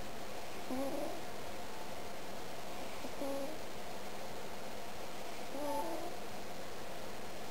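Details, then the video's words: Domestic cat snoring in its sleep while being poked: faint, short whistling tones about every two and a half seconds, three in all, over a steady room hiss. "Poking a Snoring Cat"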